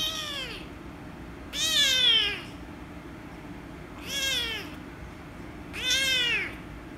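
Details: Angry female rescue kitten meowing loudly while being petted: four long, loud, harsh meows, each arching up then sliding down, the first cut off at the start, with quiet room hiss between them.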